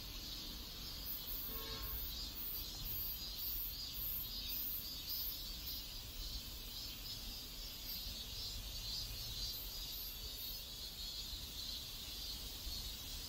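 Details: Neighborhood cicadas in South Korea sing a continuous shrill buzz with rhythmic pulsing in the highest register, over constant low background rumble; a short rising tonal sound appears near the start.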